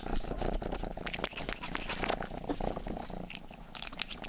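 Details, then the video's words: Indoor pet cat Rangi grooming a listener's ear for ASMR: low, buzzy purring throbs steadily underneath a crackle of licking and tongue clicks throughout. "ASMR 하는 고양이!(Purring & ear licking sound)"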